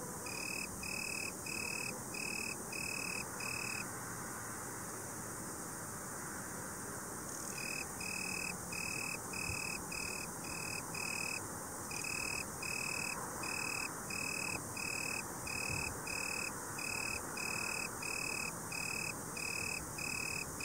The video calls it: Boomkrekel/Italian tree cricket (Oecanthus pellucens) Geluid/Sound